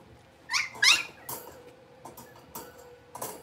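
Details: One of five young blenheim Cavalier King Charles Spaniel puppies, born on New Year's Eve and Day, in an indoor puppy pen. Two high rising yelps come close together, followed by softer short squeaks and scuffling.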